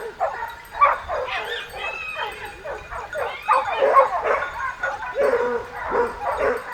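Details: Several hunting dogs chasing a boar with hunters in the south of France bark and yelp excitedly, their voices overlapping in a steady, restless chorus.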